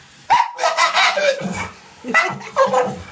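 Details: A pit bull standing in a bathtub cries and 'talks' while begging for water as a woman uses the bathroom sink. It gives two bursts of wavering whines and yelps that rise and fall, with a short pause between them.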